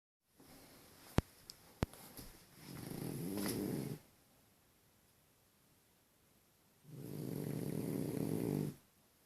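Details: French Bulldog named Deni snoring comically indoors: two long rasping, throaty snores around a second and a half each, separated by a quiet pause, with a few sharp clicks early on.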